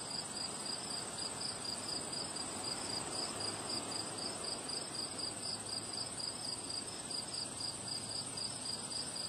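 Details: Chirping crickets on a windy day, rapid regular high-pitched pulses running without pause through the whole stretch, laid over a broad roar of wind and a thin steady upper hiss.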